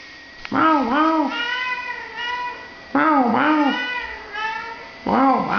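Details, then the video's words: British Shorthair cat talking with people: three long, drawn-out meows, each with a rising-then-falling wavering tone, spaced about two and a half seconds apart with quiet pauses between. "Cat Talking With People"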